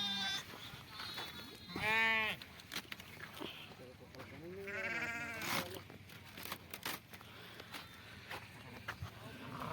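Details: A sheep being milked gives two separate quavering bleats a few seconds apart, one sharp and high, the second lower and drawn out, amid clattering, handling noises and brief voices.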